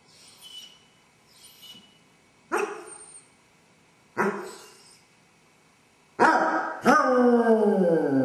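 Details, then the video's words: Basset Hound with separation anxiety, alone in the house while its owners are away: faint whimpers, two sharp barks spaced about two seconds apart, then a long, drawn-out howl that slides downward in pitch. "Basset hound suffers separation anxiety! Dog howling"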